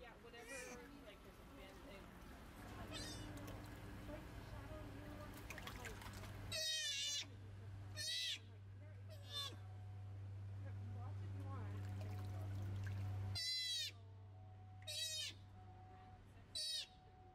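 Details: Rescued sea otter pup Joey, getting comfortable in the water while learning to swim and dive. Six piercing, wavering squeals come in irregular bursts over a steady low mechanical hum, with quieter splashes and murmurs between them.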